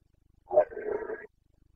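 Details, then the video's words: Carpathian red deer stag roaring during the breeding season (boncănit) in the Bucovina mountains, 29 September 2022; one short, hoarse, harmonic-rich bellow under a second long, strongest at its start, with quiet surroundings. "Boncănit / Carpathian stag Breeding season"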